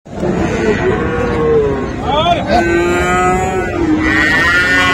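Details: Friesian and crossbred bull calves at Raniganj livestock market, Dinajpur, on 7 November 2024; a long, drawn-out moo holds steady through most of the stretch, with a brief higher bleat-like call near the middle and a constant market hubbub behind.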